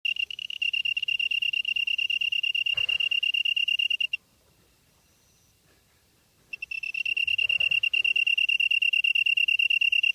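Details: Grass insect calling at 7:59 PM in September 2016 at Cheonghak-ri, Byeollae-myeon, Namyangju, Gyeonggi-do, Korea: a high, steady, rapidly pulsed ringing trill that breaks off for about two seconds of silence, then resumes just as evenly.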